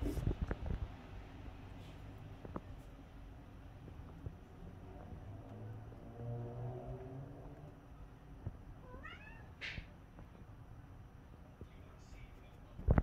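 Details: British Shorthair cat trying to catch snowflakes through a window, giving a brief burst of quick, high chirping chatter notes partway through, with a low steady indoor hum and a few soft knocks otherwise.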